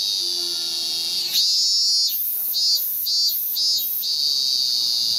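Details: Singing male Hyalessa maculaticollis on a cherry tree in Japan, August 2018, courting a female. A high sustained whine rises, then pulses four times in quick succession before settling back into a steady drone, with a faint piano note early on.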